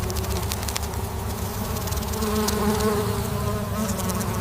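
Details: Honeybees humming gently: a dense, steady low drone with fluctuating buzzy tones from many bees, continuous throughout with slight swells in loudness, plus faint scattered clicks.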